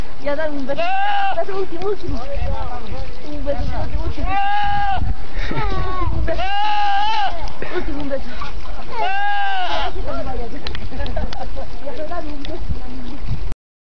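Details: Goat yelling like a man: four loud, wavering, harmonic shouts of under a second each, spaced two to three seconds apart, over continuous rumbling noise, then sudden silence near the end.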